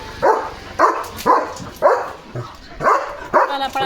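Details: German Shepherd Leo, a pet dog, in guard mode on the day a parcel arrived, barks loudly and steadily in deep, full woofs, about one every half second, with a little background noise.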